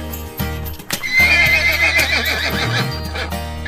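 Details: Horse giving a single shrill, quavering whinny lasting over a second, with a hoof beat or two and continuous background music underneath.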